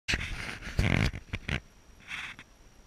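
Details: Corgi indoors in a small room; a few short grunting, breathy bursts of voice, with a longer rough one near the start and a softer huff later, thin steady tone in background.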